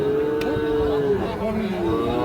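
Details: Sahiwal bull calves at the Ambari cattle market in Parbatipur, Dinajpur, on a Monday market day: a steady, drawn-out low moo holding for over a second before sliding downward, with busy market murmur behind.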